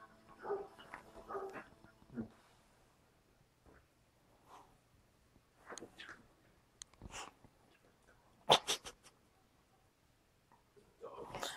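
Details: Old English Sheepdog indoors at home giving short, scattered barks and soft whimpers separated by quiet pauses, with one sharp louder bark burst near the end.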